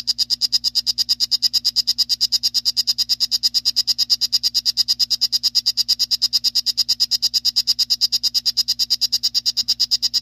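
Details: Singing male strawberry poison dart frog of the 'Salt Creek' form, a long unbroken series of sharp, high, buzzy chirps repeated very fast and evenly, several each second, with a faint steady low hum beneath.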